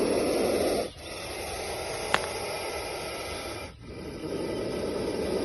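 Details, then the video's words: Indian cobra in hooded position, recorded in India, giving breathy, rushing hisses: a loud hiss for about a second, a brief break, a long steady hiss, another pause near four seconds, then hissing resumes strongly. "Indian Cobra hissing sound (இந்திய நாகப்பாம்பு சீறும் சத்தம்)"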